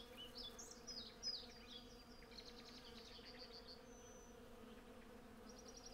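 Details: Honey bees by the hundred forage at cherry blossom, captured on a Zoom F6 with a Sennheiser MKH 8040. A continuous low hum runs the whole way, with scattered high bird chirps and a short whistle near the end.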